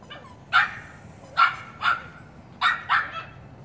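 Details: Dog barking as a big dog spooks puppies; five sharp, bright barks in under four seconds, two close together near the end, over a quiet background.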